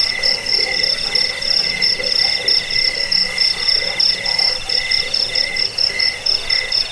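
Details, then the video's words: Crickets chirp without pause, shrill high pulses over a steadier lower trill, beats loosely spaced; the track is meant for chasing away rats, helping sleep and as a tutor for songbirds. "Suara jangkik pengusir tikus pengantar tidur"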